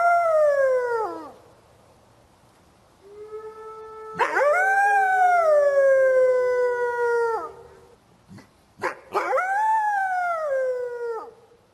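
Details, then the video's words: Series of wolf howls in the forest. The tail of a falling howl is followed by a faint steady tone, then a long wavering howl that descends. After some clicks, a last howl rises and drops away. "The sound of a wolf in the forest | صوت الذئب في الغاب"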